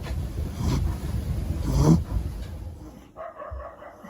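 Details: Siya, a young female Shih Tzu puppy born February 2020, snores loudly while asleep, a rough low rasping breath swelling to a peak and fading, followed by quieter breathing.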